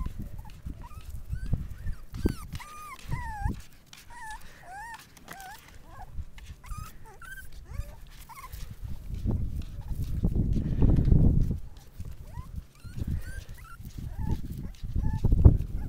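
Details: Six-week-old Miniature Australian Shepherd puppies from a litter, making high, wavering whimpers and whines that rise and fall, scattered through the clip, with low rumbling handling noise and thumps underneath.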